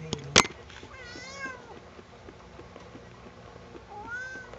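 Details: Sugar, a house cat being combed indoors and disliking it, gives a drawn-out wavering meow after a sharp click, then a second rising meow near the end; low room hum underneath.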